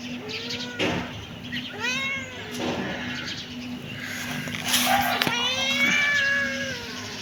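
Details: Repeated kitten mews, rising then falling, some drawn out and strained, over a steady background hum with occasional clicks.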